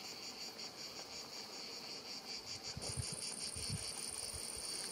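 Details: Cicadas singing at about 7 pm on 5 July 2019 beside a lavender field at Sivergues in the Luberon, France. The chorus is a high, rapidly pulsing buzz with a steady thin hiss above it, and faint low rumbles and knocks underneath.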